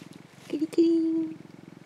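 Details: Affectionate orange tabby male cat, rescued and kept indoors, purring as it sunbathes; close, rhythmic low throbbing broken in the middle by a short, sustained human voice tone.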